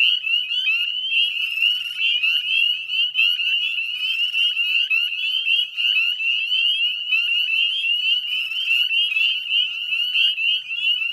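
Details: Northern Spring Peepers in full chorus at dusk, 18 May 2020, on the edge of the Chezzetcook salt marsh, Nova Scotia, Canada; a relentless high ringing of overlapping rising peeps, with pulses of nearer callers rising above the mass.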